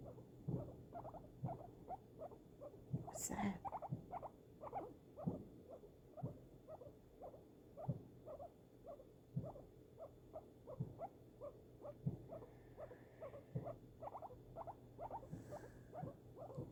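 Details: Guinea pig held indoors during unexpected fireworks. It gives regular short buzzy pulses, often doubled, about one burst per second throughout. A sharp crackling hiss comes near the start, with occasional soft rustles and low thuds.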